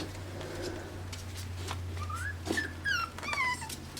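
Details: Young AKC Pembroke Welsh Corgi puppies from Arkansas, born June 20, 2026, giving a few thin rising and falling squeals near the end, over a steady low hum and light shuffling.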